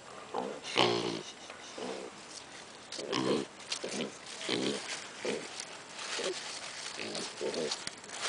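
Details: Piglets kept at a zoo producing a run of short, nasal grunts roughly every half second to one second, one louder squealing grunt near the start, with faint rustling behind.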